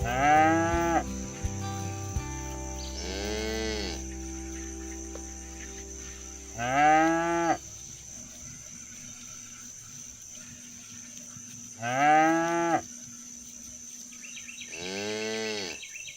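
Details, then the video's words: Free-roaming cows in the countryside, driven toward the barn and calling their friends to come home; five deep, bending moos each about a second long at irregular gaps, over a steady high-pitched whine and quiet rural background. "Bunyi sapi lucu"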